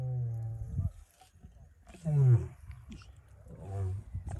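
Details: A male lion in the Sabi Sands, recorded extremely close up, gives deep, rumbling roar-grunts, three heavy moaning bursts a second or so apart.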